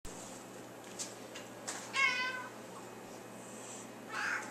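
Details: Pet female cat making a funny noise when playfully nudged: one wavering, trilled meow near the middle, then a fainter, shorter call at the end, with soft rustling in between.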